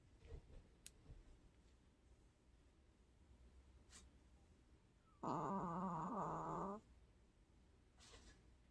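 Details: Snoring long-haired Chihuahua asleep indoors, a short-nosed dog that snores habitually: scattered faint clicks and rustles, then one loud, vibrating, throaty snore of about one and a half seconds, followed by quiet.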